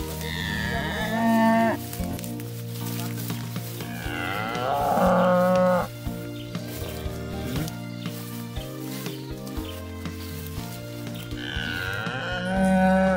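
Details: Aceh cattle in villagers' pens on the Krueng Aceh riverbank, Indonesia, raised by traditional farmers: three drawn-out, rich lowing moos spaced several seconds apart, steady music playing underneath throughout.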